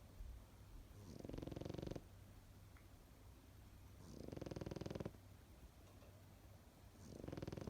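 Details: Loud, harsh, rattling snores from a sleeping Pekingese, three long vibrating inhalations each nearly a second long, spaced about three seconds apart, with a low hum underneath.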